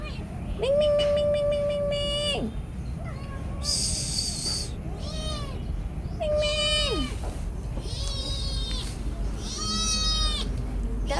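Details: Noisy house cat named Boy meowing repeatedly: about six meows across eleven seconds, some long and level, others short and falling, while a person talks to it in between.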